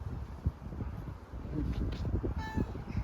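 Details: Grey furry homeless stray cat on the streets of Istanbul, hungry, gives a short harmonic meow near the end, nearly masked by soft Turkish coaxing speech and low street rumble.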